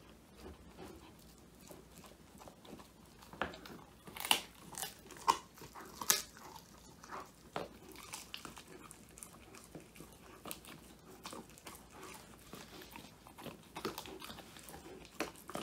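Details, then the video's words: Male Old English Sheepdog Woody crunches through a whole quail, his first-ever treat, in a small room; recorded on a phone, the chewing comes as crisp, irregular cracking bites, some loud, with quieter gnawing between. "통 메추리 오독오독 수제간식 먹방"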